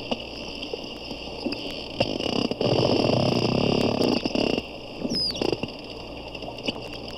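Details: Captive porpoises, probably four, recorded underwater with a hydrophone at a Daytona zoo, one at times very close: a sustained loud buzzing pulsed rasp lasting about two seconds amid clicking, then a brief high sweeping whistle, over steady hum.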